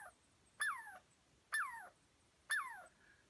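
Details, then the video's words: Squirrel in the North Cascades, chased up a tree by a dog and unhappy at people nearby, gives three loud descending squealing calls about once a second, each sliding down with a buzzy top; a man speaks briefly. "North Cascades Squirrel (with Sound)"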